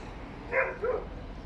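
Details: Dog inside an apartment building heard by neighbours: two muffled barks in quick succession, soft and indistinct over a steady low indoor hum.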